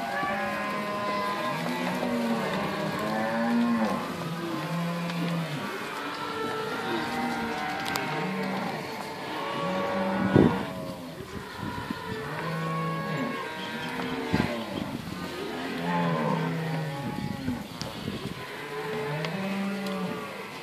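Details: Cattle herd at Inverland and La Florida, cows alongside weaning calves; a dense chorus of long, low moos overlaps throughout, with a brief knock near the middle and a steady background hum.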